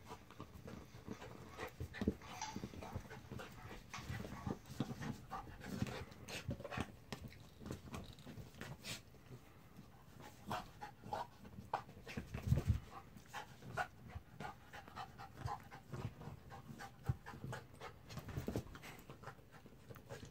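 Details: Jack, a mutt, breathes hard in steady rapid pants, each a short airy rasp, the rhythm continuing for twenty seconds with occasional louder gasps.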